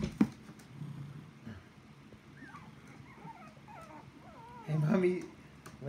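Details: Puppies whining in short high wavering squeals that grow denser toward the end, with a human voice and low murmuring underneath.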